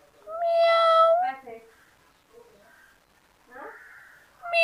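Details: Kitten giving one long, steady, level meow lasting about a second, followed by soft murmuring sounds and the start of another meow at the end.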